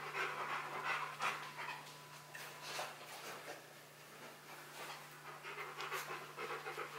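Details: Rottweiler named Bruno panting indoors during a box maze challenge, first confused but persisting toward the prize; quick breathy huffs come roughly three per second, rough and uneven, with faint crinkling of cardboard.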